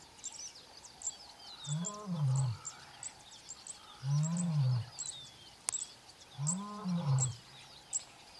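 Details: A very young male lion of the Mbiri pride gives deep, arching moans about every two and a half seconds at sunrise near the camp, contact calling to keep in touch with the rest of the pride.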